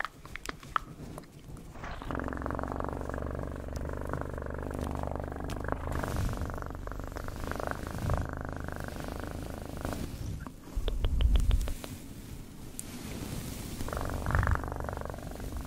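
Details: Domestic cat purring steadily, a low continuous rumble with a rapid pulsing texture throughout, swelling louder midway, with faint handling rustles and soft clicks.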